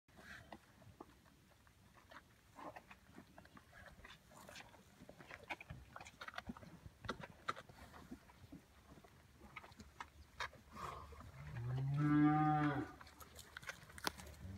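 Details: Hereford calves with their mothers at Oak Creek Farm; after a long stretch of scattered clicks and rustling, a single deep, drawn-out moo of about one second rises late in the recording.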